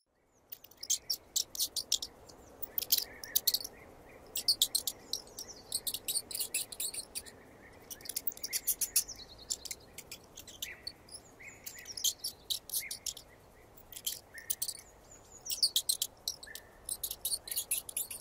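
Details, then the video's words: Mouse squeaking, presented in 8D audio: clusters of sharp, very high-pitched squeaks and clicks come in irregular bursts with short silent gaps between them, over a faint steady background hiss. "SONIDO DE RATON"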